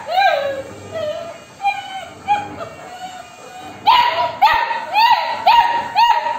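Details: Female Labrador Retriever puppy pleading for food with her owner: soft, drawn-out whines in the first half, then a quick run of five loud, arched yelps about half a second apart, with a woman speaking Tamil.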